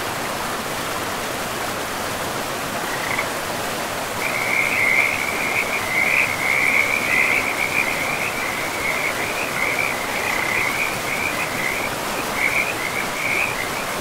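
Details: Frogs beside a river in a pristine forest, a rapid pulsed trill at fairly high pitch starting after three seconds and running almost without break, wavering slightly, over a steady rushing wash of flowing water.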